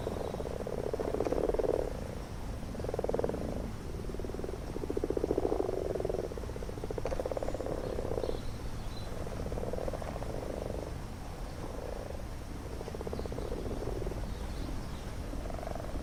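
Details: Chorus of common frogs at a garden pond in spawning season, males calling to find females, heard right amongst the frogs; repeated bursts of low rattling, purring croaks every second or two, several callers overlapping.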